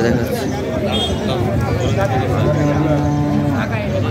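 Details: At a weekly cattle market in Gazipur selling local and foreign cows and calves, one steady, low, humming moo lasts about a second amid loud talking and general market noise.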